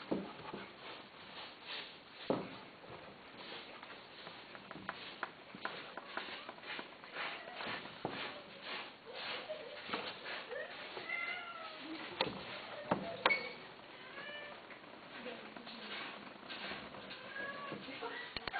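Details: Domestic cats kept for sale, heard indoors: a few brief, thin mewing calls rise and fall near the middle and end, mixed with footsteps, sniffing, clicks and soft talking in a small room.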